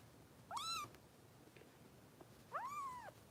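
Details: Harper, a foster kitten being bottle-fed by Los Angeles rescue volunteers, gives two clear, arched mews two seconds apart, the second longer and curving down at its end, against a quiet room.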